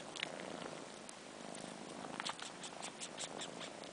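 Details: Four-month-old kittens missing their mother, fluffy long-furred Sheba sucking on his own fur with his sister Carla. A faint, steady purr runs beneath scattered wet slurping clicks in a quiet setting.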